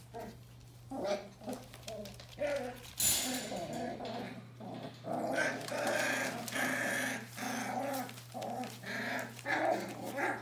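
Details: Nearly four-week-old Bohemian Shepherd puppies of the "F" litter keep up a busy, overlapping chorus of whines and little grumbling squeals that rises and falls without pause. A low electrical hum runs throughout.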